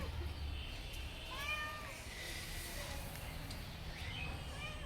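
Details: Domestic cat with faint, brief arching meows, two or three spaced a few seconds apart under low-pitched background hum and distant room noise while a person talks about it searching around.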